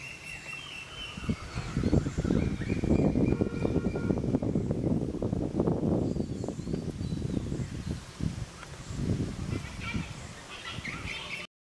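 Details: Rival langur monkey groups clash over food and habitat, giving rough, low, rapidly repeated grunts and coughing barks that swell in the middle and continue unevenly to the end, with faint high bird calls behind.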